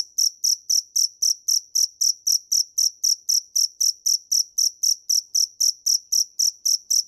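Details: A single cricket keeps up an even, unbroken rhythm of sharp high chirps, close to four per second, clear and loud against silence.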